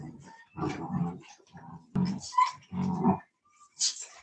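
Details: Cane Corso, or Italian Mastiff, from a breeder's pack near Nashville, Tennessee: low rumbling, growl-like grumbles in repeated half-second bursts, then a brief high thin whine near the end, with faint human voices nearby.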